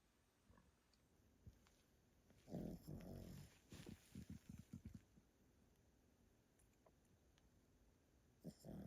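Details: Yotaro, an elderly Pomeranian, asleep at a relatives' home and snoring loudly: a long rasping snore, then a quick run of short snorting pulses, followed by a quiet stretch and another rough breath at the end.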